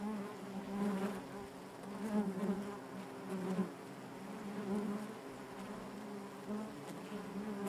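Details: Soft, steady hum of honey bees in their hive, a low droning buzz with overtones that rises and falls gently, with faint clicks scattered throughout.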